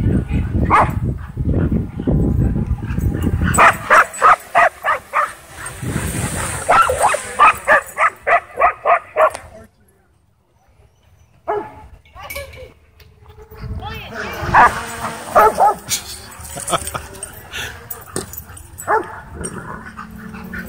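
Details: Dogs excited by a DJI Mavic 2 drone flying over a dog park: a quick run of evenly spaced barks, roughly three per second, then a near-silent pause before more scattered barks and voices return.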